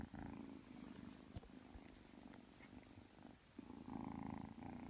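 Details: Purring Ragdoll kitten, three months old, kneading as it drifts off to sleep; close, continuous rhythmic rumble with audible in-out breathing cycles, fading slightly mid-clip and swelling again toward the end.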